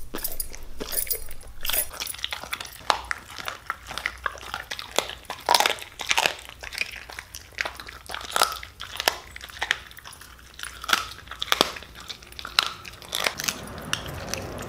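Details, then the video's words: Siberian Husky grinding raw bones while eating beef cheek and chicken given as a reward: dense run of loud, sharp crunches and cracking bites at uneven intervals, close to the microphone, little else heard. "Husky Causes HUGE Crunching Sound Noises!"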